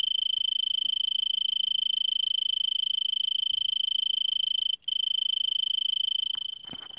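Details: Steady high trill of an Arizona tree cricket in brittlebush at Vail, Pima County, Arizona, 3300 ft elevation, near 5 PM on December 26, 2022, about 70°F; the song breaks briefly once, then softens near the end beneath a short rustle.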